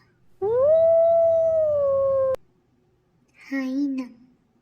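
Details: Wolf howl: one long, smooth, sustained tone that rises slightly at the start, holds level for nearly two seconds and then dips a little, followed by a brief spoken word.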